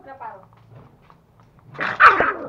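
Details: Toy Pomeranian puppy in a home in Kathmandu, Nepal, one of two young dogs (male Pomo and female Pomy) chewing a real bone for the first time and squabbling over meat. A soft murmur and speech come first, then a loud, sharp bark bursts near the end.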